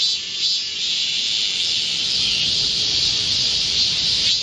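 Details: Chorus of Korean cicadas in a green forest at midsummer, recorded 25 July 2024 during a heatwave: a dense, steady high-pitched buzzing drone that fills the whole clip without pause.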